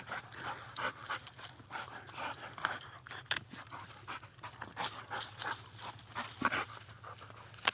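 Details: Young male American Staffordshire Bull Terrier, two years old, panting fast and breathily after tugging at a tree outside, steady short huffs with occasional sharp snorts and a brief whine.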